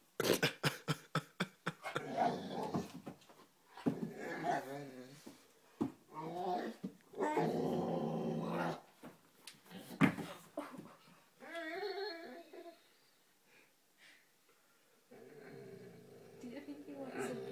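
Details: Five-month-old Great Dane puppy at play in front of a mirror before bedtime, indoors: a series of short growls and grumbling whines between bursts of thumping, with a person laughing and talking.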